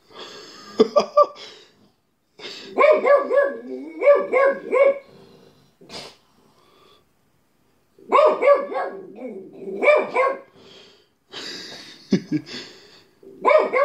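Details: Household dog barking in irregular bursts of several rapid barks separated by pauses of a second or more, each bark rich and clipped, with a faint growl between bouts.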